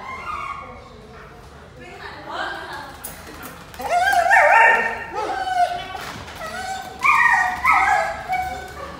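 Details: A happy, playful Golden Retriever at the vet's office gives high, wavering whines and short yips, with human voices nearby.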